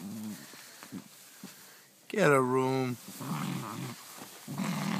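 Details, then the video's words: Pet dog at home playing with a new toy it loves, making a gremlin-like noise: one loud, nasal, harmonic whining growl under a second long that wavers and slides, surrounded by murmured human speech and a quiet indoor room. "My dog making out with his new toy sounds like a gremlin"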